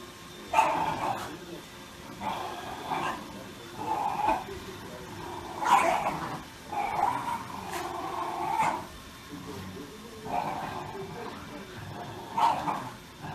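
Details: Shiba Inu dog barking in a loose run of about ten short yaps over thirteen seconds, some doubled, uneven in spacing and loudness, against low room noise.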